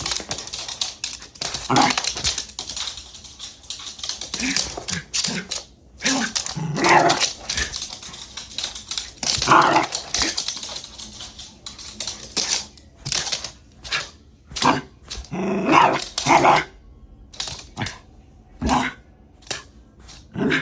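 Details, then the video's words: Worked-up Shiba Inu dog going wild: bursts of sharp, noisy barks and yelps come in irregular volleys separated by short pauses, with scuffling noises between them. "I MADE MY DOG MADDD!!! 柴犬が暴走するとき"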